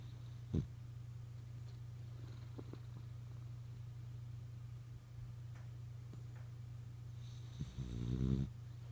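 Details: French Bulldog asleep, snoring and dreaming indoors; a steady low drone runs throughout, broken by a brief click early on and a short, harsh nasal snort near the end.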